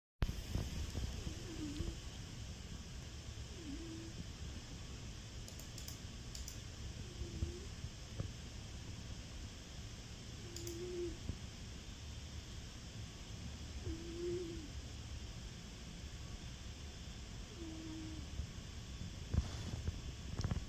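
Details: Trixxie, a fluffy pet cat, sleeping and snoring softly indoors: quiet, low breathy snores repeat roughly every three and a half seconds over a steady low hum, with a few faint clicks.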